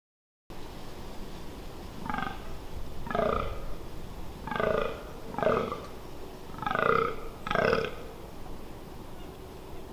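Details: Fallow deer during the rut in the Amsterdamse Waterleiding Duinen dunes on 18 October 2021, recorded close by: six deep, belching groans, each short and raspy, spaced about a second apart over steady background hiss.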